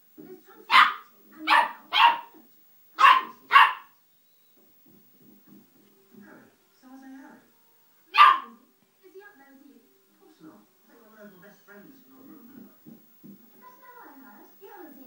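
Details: Young dog about ten weeks old barking angrily at a radiator that burned his nose: five rapid yappy barks, a lone bark several seconds later, then soft human chatter and faint household sounds.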